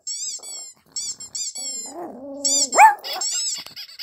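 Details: A small, feisty Pomeranian reacting to sounds gives a drawn-out, whiny bark that rises sharply in pitch, amid high squeaky sounds.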